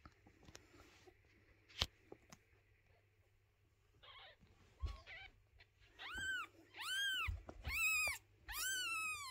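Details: Mother cat moving her kittens, unwilling to let anyone clean their little house; scattered clicks and shuffling sounds, then four loud, drawn-out meows in quick succession.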